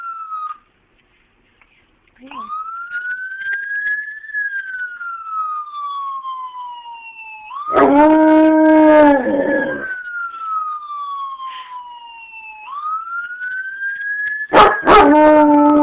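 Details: Sampson, a pet wolf hybrid, howls in response to siren sound effects played from a laptop. Steady, harmonic-rich howls arrive near eight seconds and again from about fourteen seconds, set against loud, repeatedly rising and falling wailing siren sweeps.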